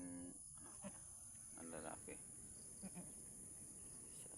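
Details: Doe goat in difficult labour as her kid is pulled free; short harmonic bleats, one at the start and a quavering one near the middle, with a few soft clicks and low rustling under a constant high insect drone.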